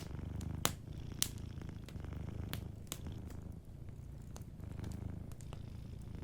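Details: A sleeping domestic cat gives a gentle, continuous purr, a low throbbing rumble in even waves. Loud snaps from a crackling fireplace break in near the start and several more times.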